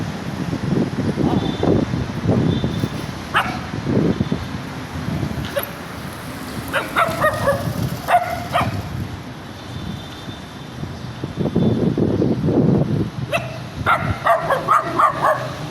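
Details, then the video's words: Small dog giving scattered bursts of quick high yapping barks, some in rapid runs of three or four, separated by stretches of low rumbling background noise and shuffling. "The sound of a small dog barking"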